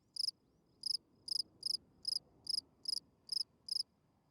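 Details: Chirping field cricket at night, singing its calling song for females: nine bright pulsed chirps at fairly even intervals of about half a second, over a soft broadband hiss.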